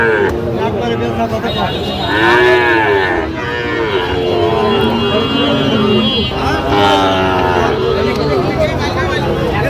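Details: Young Sahiwal bull calf at a cattle market in Barishal, Bangladesh: several loud, drawn-out harmonic moos that rise and fall in pitch, one after another, over crowd chatter and market noise.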